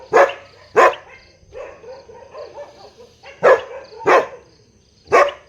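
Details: Big dog barking loudly: two sharp barks, a pause filled with soft whining and whimpering, then three more barks spaced under a second apart.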